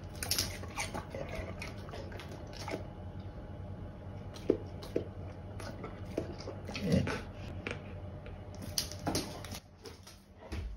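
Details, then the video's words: Pear-loving Golden Retriever munching fruit in a small room: crisp, juicy crunches come in quick bursts, some louder snaps, with brief quieter pauses between mouthfuls. "Golden retriever loves pears. Enjoy the chewing sound"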